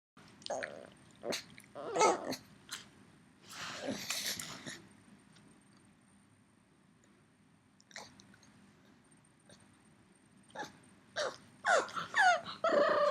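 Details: Yoda, a three-year-old pug left home while his companion dog went for a run, calls for his missing friend: bursts of squeaky whines and yelping cries, some rising and strained, separated by quiet pauses with faint breathing between.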